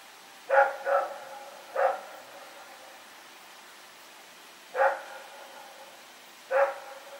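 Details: Rex runs about in the dark on 21 September 2018, barking in irregular bursts: a quick triple, then two more isolated barks after long pauses, with a soft background hum throughout.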